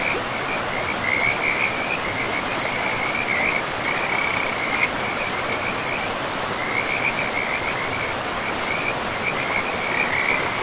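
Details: Frogs by a river in a pristine moss-covered forest keep up dense, repeated high trilling croaks, grouped into rippling runs with brief gaps, over the loud, even roar of running water.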